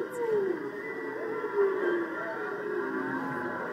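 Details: A whale, possibly with a baby whale nearby, heard in the ocean off Maui, gives long, moaning calls that slide slowly downward in pitch.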